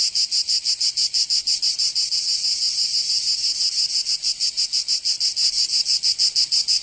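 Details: Summer cicada chorus from Provence in the south of France, a shrill, dense buzz that throbs in quick regular pulses, roughly three each second, filling the whole recording.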